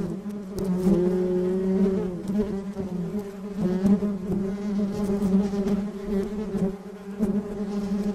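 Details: Honey bee colony humming continuously, a dense low buzzing drone with layered overtones, slightly wavering in pitch, punctuated by faint ticks and taps throughout.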